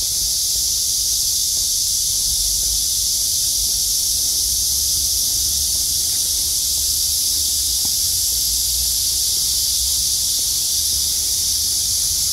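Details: Cicadas on a midsummer day in August following downpours, blue sky overhead; loud, sustained sizzling buzz held at a constant high pitch from start to finish over a quiet low rumble.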